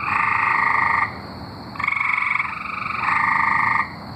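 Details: Singing tree frogs in Arkansas, three long pulsed trills about a second each, separated by short pauses, one caller slightly different in pitch, with a steady faint high hum behind.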